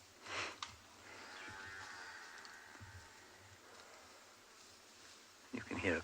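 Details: An African buffalo (Syncerus caffer) calf gives a drawn-out, nasal bleating call under a man's voice, heard near a herd on an afternoon game drive in the Sabi Sand, South Africa, on 11 May 2020.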